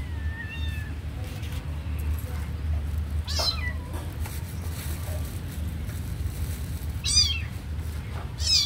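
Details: A kitten that watches a puppy sleep lets out a few scattered high meows, one short falling mew early then sharper cries later, over a steady low hum.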